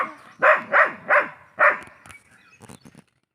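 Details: Pet dog barking: four loud, harmonic barks in quick succession within about 1.2 seconds, then fainter scattered yips and short noises trailing off before quiet.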